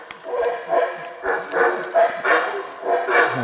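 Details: Howler monkeys in the forest at the Maya sites of Aguateca and Ceibal, Guatemala, give a chorus of deep, rasping roars in short pulses.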